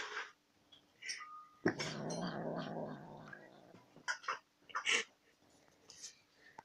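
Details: Domestic cat eating sour cream and making weird sounds indoors: a long, low, rough grumbling growl of about two seconds, followed by short sharp chirps, clicks and eating noises.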